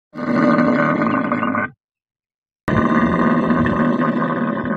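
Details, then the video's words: Thari camel in a desert setting giving two long, loud, rough gurgling roars, each about one and a half seconds, separated by a sharp silent gap. "Pure Camel sound ||Camel sound|| Thari camel"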